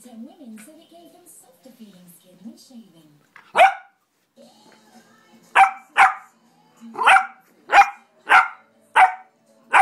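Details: Four-month-old English Springer Spaniel puppy playing; after faint talk and soft sounds, sharp loud barks ring out, about eight of them, roughly every half second to second in the latter half.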